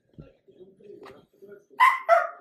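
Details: Dachshund, a pet sausage dog, gives two loud, sharp barks in quick succession near the end, after a run of soft, faint murmuring sounds.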